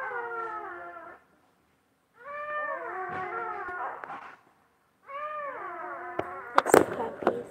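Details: Basset Hound mother tending her newborn puppies; three long, wavering, richly harmonic whining cries, each one to two seconds with dips in pitch, separated by silent gaps, with sharp knocks and handling clatter toward the end.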